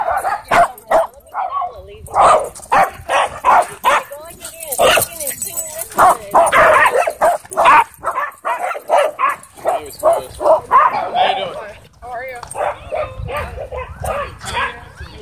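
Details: Rough play between a wolfdog and a husky at a dog park, the wolfdog throwing and pinning its partner; choppy barks, yips and snarls repeat in rapid bursts, with faint human voices possibly underneath.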